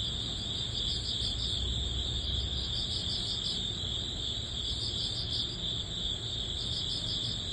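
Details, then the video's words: End-of-summer crickets in early autumn, many insects trilling at once in a bright continuous shrill, quick pulsed chirps above, over a soft constant low rumble. "초가을 풀벌레_ 백색소음_ Cricket sound, white noise"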